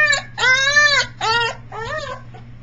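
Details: Three-week-old Briard puppy howling, recorded July 15, 2009; three long, strained wavering wails with rich harmonics, the first longest, fading at the end, a low electrical hum behind.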